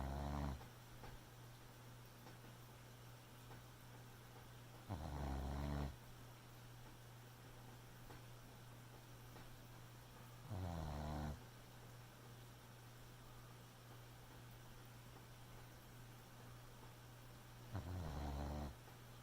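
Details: Sleeping Boxer puppy snoring at night, slow rhythmic snores: four low, rasping breaths at intervals of about six seconds, each roughly a second long, over a quiet steady room hum.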